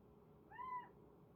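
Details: Kitten reacting to unfamiliar bird sounds, giving a single short, soft, arched meow.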